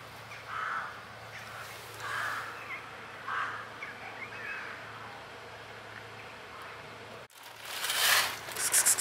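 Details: Kitten with blue eyes from a basement mewing thinly, four or five brief cries in the first half, then a sudden loud rustling, crackling noise takes over near the end over a constant low hum.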